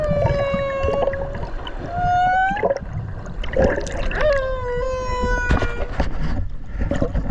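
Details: Whale recorded underwater off Okinawa by a swimmer beside it: long steady tonal cries with bright harmonics, some held flat, others gliding slightly up or down, several in a row, over low rumbling water noise.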